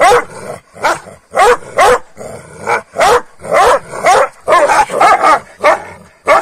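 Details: Kangals picking fights with each other at dawn after being fed rabbit overnight: a steady run of gruff, snarling barks roughly twice a second, broken by short gaps and throaty growls.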